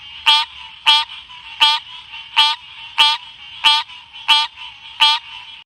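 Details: Green cascade frog calling: a series of short, harsh, ringing notes rich in stacked harmonics, repeated roughly every 0.6 to 0.7 seconds, about nine calls in a steady rhythm over a quiet background.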